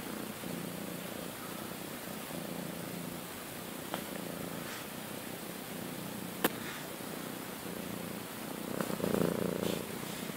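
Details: Domestic cat, one of two sister cats kept indoors, purring steadily with a low, even rumble throughout; a few sharp clicks and brief taps break in, and rustling swells near the end.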